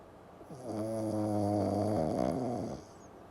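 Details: Pekingese named Wansui snoring while asleep: one long drawn snore with a steady, low, harmonic-rich drone that holds for over a second, then wavers and breaks up before fading out; no other sounds.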